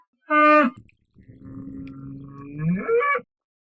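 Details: Bull bellowing: a brief bright harmonic call, then a long, deep, resonant drawn-out bellow that climbs in pitch and ends in a higher strained note.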